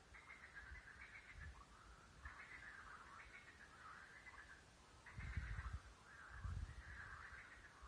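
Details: Under the moon at night, a frog chorus fills the air with continuous, wavering, middle-pitched trills that swell and ease every second or two; low thumps or rumbles break in briefly near the end.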